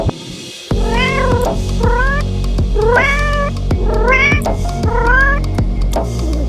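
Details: Domestic cat meowing: five drawn-out, harmonic meows, each rising then falling, about one per second, over rhythmic background music with steady beats.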